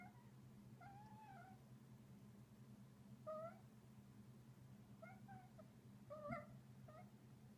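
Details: Playful male Munchkin cat giving a series of quiet trills as he plays, six brief warbling chirps with bent, rolling pitch, some paired, spaced irregularly across the recording, against a constant low electrical hum indoors.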